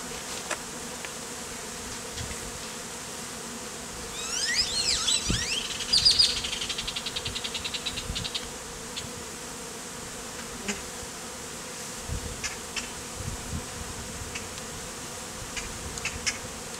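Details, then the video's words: A bee beard of honey bees, the colony lately removed from a statue and worn in hot weather; continuous low buzzing drone, a burst of sharp high bird chirps mid-clip, occasional thumps and clicks. "BEARD OF Honey BEES"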